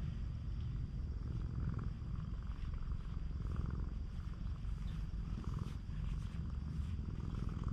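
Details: A stray on a cat island, being affectionate, purrs in a constant low throbbing drone with a soft pulsing texture and little else audible.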